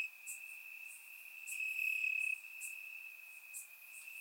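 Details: Night cricket chorus from Bulgarian summer grass, captured in surround sound: a continuous thin high trill that swells briefly in the middle, with faint sharp ticks scattered above it.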